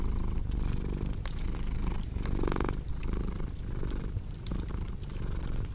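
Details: Close, throaty cat purr humming steadily, swelling slightly just past halfway, accompanied by the soft intermittent crackling of a wood fire.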